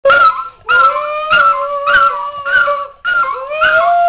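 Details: Bronson the dog, singing with D-Xristo in 2008, holds long, tonal howls that slide slightly upward. Sharp percussive hits cut in at a steady beat, roughly every 0.6 seconds.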